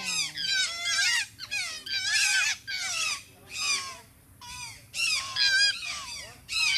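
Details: Grey fox at Tikal, Guatemala, fighting a boa constrictor to save another fox being strangled; rapid bursts of high, shrill, wavering squeals and yelps in dense clusters, with brief pauses between volleys.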